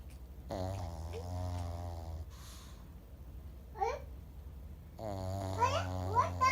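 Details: Momo, a 12-year-old Pekingese, snores while asleep indoors: long low droning breaths with a buzzy, rattling, layered tone, one stretching about two seconds and another starting near the end, with a few brief higher squeaky sounds between them.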